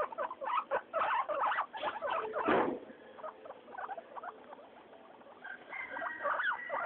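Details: Three pet guinea pigs, Mayumi, Archie and Miyuki, loose during weekly floor time: a busy opening burst of short squeaky chirps and patter, quieter chatter, then drawn-out high whistled wheeks near the end.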